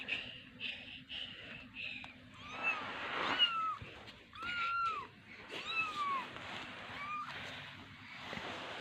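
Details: Two small domestic kittens giving repeated high, thin meows, each rising then falling, several quick short calls followed by longer arched ones, with faint human voices in the room.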